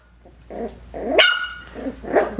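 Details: Coton de Tulear puppies, five weeks old, playing indoors: muffled grumbles around two short, bright, high-pitched barks, the first loud and clipped, the second rougher.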